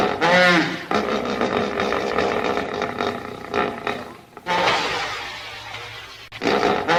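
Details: Hippopotamus calling loudly: a deep, rough, harmonic bellow opens with a sharp burst, holds steady for several seconds, fades, then surges again twice.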